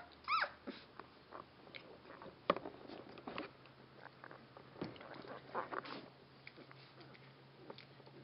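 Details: Twelve-day-old Rhodesian Ridgeback puppies: a sharp, rising high squeal at the start, then scattered clicks, shuffling and faint squeaks as the litter moves about indoors.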